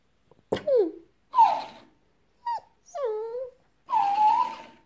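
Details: Pepsi, a French Bulldog, indoors with a talking hamster toy: five separate whiny vocal bursts, some sliding downward, some swooping up and down, the last a sustained wavering moan.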